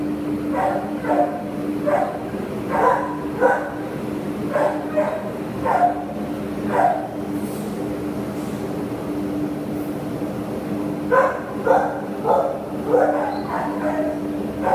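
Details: Terrier awaiting adoption, 27 September 2015, gives a long run of rapid, raspy barks, falls quiet for a few seconds, then resumes barking; steady machine-like hum behind.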